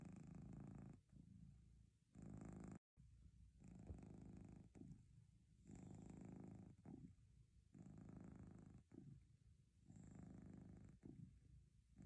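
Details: Domestic cat purr alternating in rhythmic phases roughly every second or so, each burst a buzzy low vibration with breathy upper texture, separated by brief softer gaps and one short dropout.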